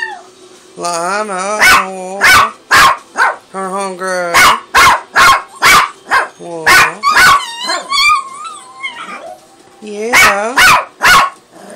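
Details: A hungry female pet dog giving quick runs of sharp barks, about two a second, mixed with higher whining, wavering cries, while a woman coos "aw" and talks over much of it.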